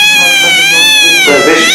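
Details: Kitten meowing, described as hungry, scared, lonely or angry: a single long, loud, high-pitched whining meow, steady and sustained with a slight rise, then breaking rougher and noisier near the end.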